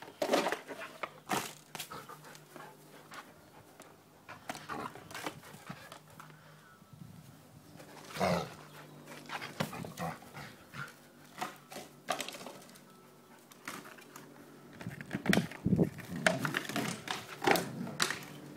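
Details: Noisy Samoyed causing havoc indoors, a string of short yelps, whines and huffy grumbles with bursts of panting, louder clusters toward the end, in a small room.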